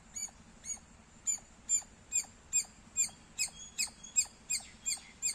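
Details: Squirrel giving loud, piercing chirps, a bit uneven in timing, about two per second, the notes growing stronger and harsher midway, with a soft low hum underneath.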